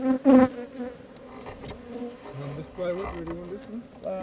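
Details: Honey bees from a swarm being relocated away from an undesired location, buzzing in a dense, low hum with a steady drone and individual bees swooping past in rising and falling tones.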